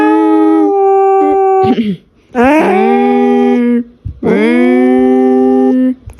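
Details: Pet cat howling loudly indoors, likened to a real alarm siren; three long sustained wailing howls, each starting with a quick upward swoop before holding a steady, even tone, separated by brief pauses.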